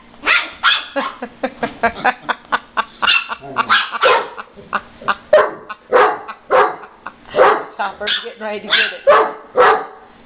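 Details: Dogs in a rawhide dispute, a brindle Chihuahua taking a Weimaraner's chew, with no indication which one is vocal. Dense, continuous string of quick high yapping barks, several per second, with a person's voice faintly mixed in.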